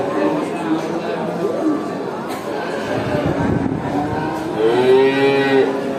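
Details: Cattle at a traditional market, a crowd chattering throughout, with overlapping moos and one loud drawn-out lowing call near the end.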